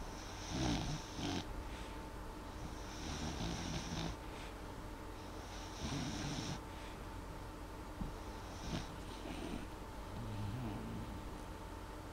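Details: Molly, a dog, asleep and snoring lightly, not loudly. Soft, hissing breaths come in regular waves about every two and a half seconds over a steady low room hum.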